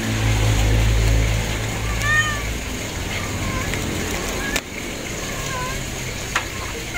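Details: A pair of thin, arching kitten mews, one early and one later, rise above a loud, deep rumbling background that fades after the first seconds.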